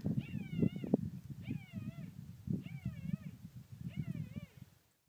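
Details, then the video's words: Thelma's puppies crying and wailing, left on a desert property and dug into a hole beneath a car, July 19, 2013: four wavering, high whining wails, one roughly every 1.2 seconds, over steady low rumbling and heavy panting. "Thelma's puppies crying"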